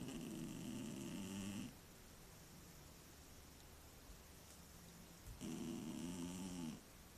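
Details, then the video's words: Sleeping pet cat Mityusha, a frequent loud snorer, recorded indoors on a tablet: two long rasping snores of roughly a second and a half each, low buzzy and layered, separated by about four seconds of quiet room hiss. "Кот храпит во сне"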